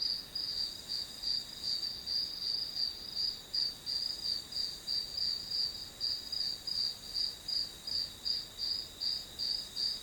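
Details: Grass insects heard as white noise behind a one-hour study session: high, bright chirps pulsing steadily about two or three times a second over a constant thin high hum, with no other sounds.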